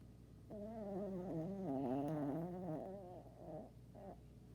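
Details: A tired dog snores in one drawn-out, buzzing breath lasting about three seconds, its pitch wobbling, followed by two short, weaker rasps.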